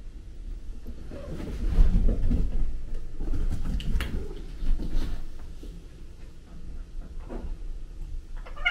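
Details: Prince, a male British Shorthair kitten, pesters older male cats Tom (black and white) and Mimi (white and ginger), filmed on a DJI Osmo Pocket 2; muffled low scuffling and thumps fill the clip, with a brief high meow near the end.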